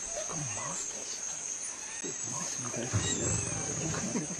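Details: Pack of wild dogs eating a spotted deer alive, with pups calling during the feed: a stretch of short, overlapping squeals and whines, some rising and falling, over steady high insect hiss.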